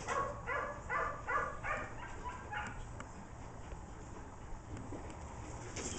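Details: A male dog barks while herding sheep, recorded 25 September 2011: a quick run of about five short, harmonic barks in the first two seconds, then only faint background noise.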